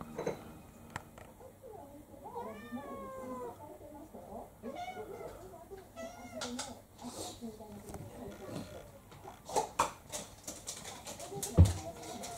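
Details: Domestic cats indoors as Ponko, a female mixed-breed cat of about three to four, launches a fierce attack on Kou-chan. Several drawn-out, arching harmonic yowls rise and fall midway, with human speech, thumps and sharp clattering knocks toward the end.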